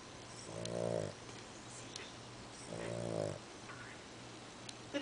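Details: A fat pet dog sleeping indoors snores loudly twice. Each snore is a rasping, buzzy breath lasting about half a second, and they are spaced a little over two seconds apart. A steady low hum and hiss sit beneath them, with a few light clicks.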